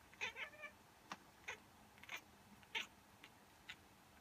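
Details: Female pet cat responding to a human sneeze or fake sneeze, a reaction she shows every time; brief, high, clipped meow-like chirps in quick bursts, with gaps of near silence between them.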